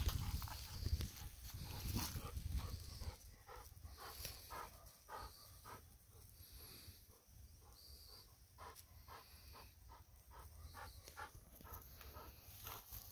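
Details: Golden Retriever running in a rice field, panting in rapid breathy puffs about three to four times per second, with rustling steps and a low wind rumble loudest at the start.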